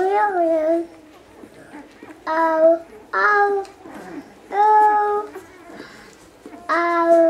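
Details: Week-old Basset Hound puppies squeal in drawn-out, bright tonal calls, about five bursts spaced one to two seconds apart, each holding a steady pitch with slight rises, heard in a quiet indoor room.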